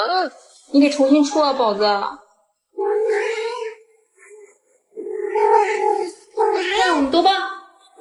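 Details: Pet house cat indoors giving a run of drawn-out, wavering meows in bursts of one to two seconds with short pauses, alongside human talking in a small room.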